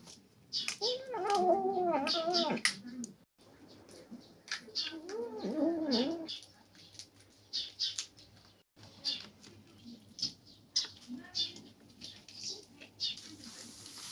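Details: Three-month-old kittens fighting over a hunted rat snake; two arching, rising-then-falling cries come early, then a stretch of scattered clicks, taps and rustling with only faint, low vocal murmurs.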